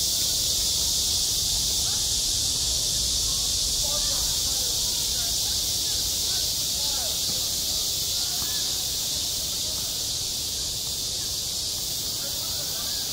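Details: Cicadas calling in summer at a school playground: a continuous high buzzing wall of sound, slightly pulsing, with scattered faint children's shouts and chatter in the background.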